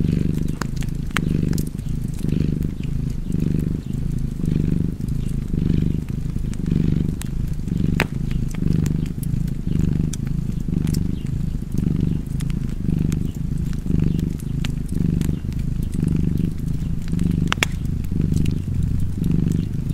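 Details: Purring cat heard up close, its low vibrating drone throbbing in steady inhale-exhale waves about every second, accompanied by scattered snapping pops of a fireplace.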